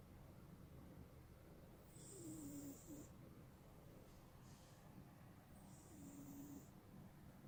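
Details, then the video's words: Smokey, a pet cat, snoring loudly while asleep: two slow snoring breaths about four seconds apart, each a low, slightly tonal rasp with an airy hiss, over a quiet, steady room background. "Snoring Cat"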